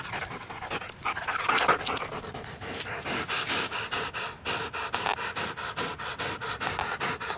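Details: Bella, a female dog, pants steadily in quick rhythmic breathy bursts that carry on through the whole stretch, each huff a soft broadband rush with no voiced tone.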